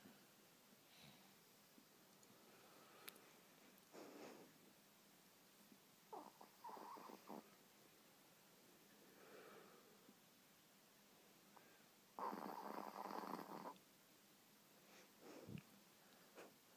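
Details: Rooby, a three-year-old pet Pomeranian, snores while asleep indoors: soft, raspy, breathy snorts arrive in irregular bursts a few seconds apart, with one longer, louder rasping snore near the end, in a quiet small room.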